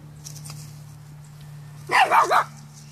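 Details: Pomeranian dog noticing a dandelion for the first time gives a quick triple yappy bark near the end, high and sharp, after a quiet stretch over a steady low hum.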